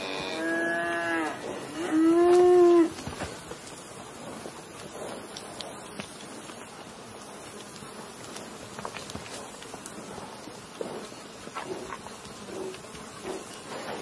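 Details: Cow mooing twice in the first three seconds, a lower then a louder rising-falling moo, followed by quiet outdoor background with buzzing insects.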